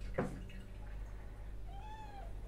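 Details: A house cat gives a single clear, drawn-out meow that swells and then slides down, following a brief thud at the start, with faint indoor background hum.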